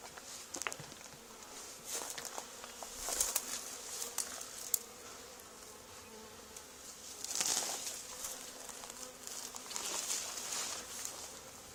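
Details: Honey bee swarm settled on the wall of an old barn, two days after another hive was cut out there: a steady low humming drone with faint harmonics, overlaid by crackling taps and brief louder swells of buzzing.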